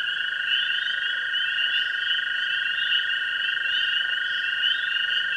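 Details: Pond chorus on a springtime evening from tree frogs, spring peepers and green frogs: a steady, high shrill peeping throughout, layered over a lower, unbroken trilling drone that runs the whole time.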